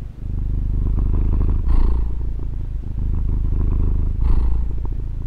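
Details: Female pet cat purring into a Tascam DR-40: a thick, low, buzzing rumble that swells into two airy louder pulses about two and a half seconds apart before settling back.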